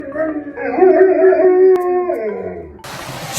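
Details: Samoyed dog giving a drawn-out, wavering howl that rises and bends for about two seconds, then trails off into a low moan before a burst of noise.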